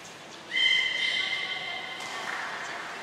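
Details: Beluga training with Grey and Mirai at Port of Nagoya Public Aquarium on 15 June 2022; a sudden bright tonal whistle holds a level pitch for nearly two seconds, then gives way to a softer hiss of background noise.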